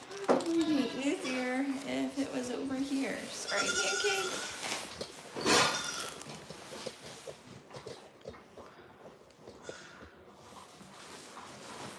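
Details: Goat on a home farm bleating during morning chores: a wavering, quavering bleat with stepped harmonics in the first few seconds, then a shorter bleat near four seconds, with a woman's speech and clattering farm noises around it.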